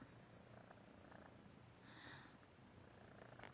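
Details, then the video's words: Five-month-old male feral kitten, recently neutered and resting with an injured leg, giving a loud toad-like purr during a belly rub indoors; a low, steady rumbling hum runs throughout beneath faint hiss, with brief soft handling noises. "Injured feral kitten Shadow's belly-rub & froggy-purr"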